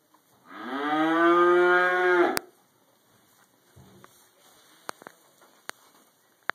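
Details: Cow eating hay in a barn gives one long harmonic moo of about two seconds, steady and slightly rising, followed by quiet rustling and sharp clicks of munching.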